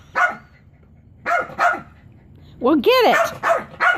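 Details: Chihuahua at home trying to get a frisbee toy off a chair, giving short sharp barks in pairs, then a burst of rising, whiny yelps and more barks; a person speaks quietly nearby.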